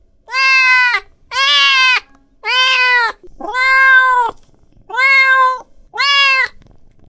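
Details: An angry cat calls repeatedly with six sustained, rich meows at roughly one per second. Each call is even and wailing with many harmonics, separated by brief quiet breaks and no other clear sounds.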